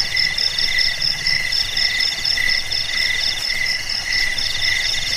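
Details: Crickets chirping together: bright, shrill pulses repeat quickly in layered high bands, steady throughout, over a soft low rumble.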